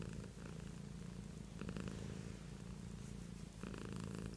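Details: Pet cat purring steadily indoors, a continuous low rumbling throb with louder swells as breaths change, around every two seconds.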